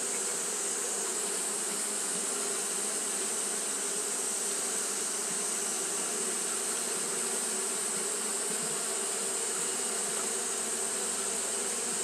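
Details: Japanese honey bees fanning nonstop at the hive on a hot day. A steady, unbroken low hum with a layered, droning texture runs throughout, under a constant high-pitched hiss.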